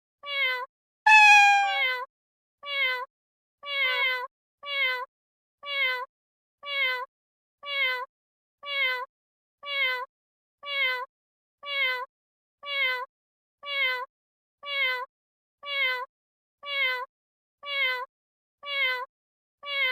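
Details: One loud, drawn-out cat meow near the start, followed by a long run of short, quieter, downward-sliding meows repeated roughly every second at an even pace.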